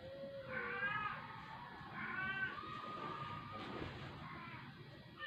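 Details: Dying indoor rescue stray cat, unable to eat for twelve days and vomiting after a vet injection: three quiet, wavering meows spaced a second or two apart over a soft room hiss, with barely any human voice.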